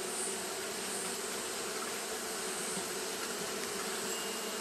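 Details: Steady mass hum of Japanese honey bees fanning on a hot day, a low buzzing drone holding constant over a few seconds with a soft high-pitched hiss behind it.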